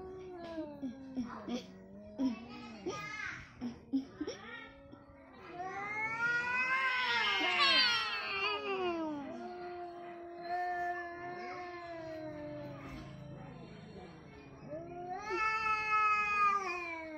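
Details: Fight between an orange cat and a white cat: short choppy yowls, then loud rising and falling caterwauling, sustained low moaning wails and a final sharp rising yowl, with Indonesian speech commenting throughout.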